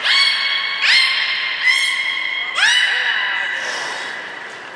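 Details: At Port of Nagoya Public Aquarium on 1 December 2019, captive belugas Hodoi, Gray and Mirai in training give loud overlapping harmonic squeals, about four sharp rising onsets in quick succession, fading toward the end.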